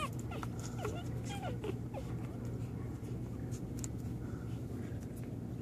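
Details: First-day American Pit Bull Terrier gives a few short, thin whimpering squeaks, sliding down in pitch, in the first two seconds, then fades under continuous low background rumble.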